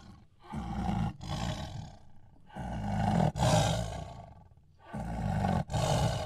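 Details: Tiger giving deep, rasping roars in paired pulses, each pair separated by a brief pause, with heavy low rumble throughout.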